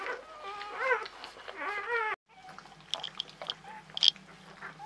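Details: Czechoslovakian Wolfdog pups, newborn, 21 November 2020, mother Orizon beside them: two seconds of overlapping wavering squeals, rising and falling, then a hush with soft clicks and handling noises indoors.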